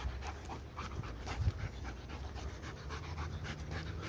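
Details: Energetic dog that never tires panting in quick breathy bursts, a steady soft rasping rhythm over a low background hum, with one brief louder thump.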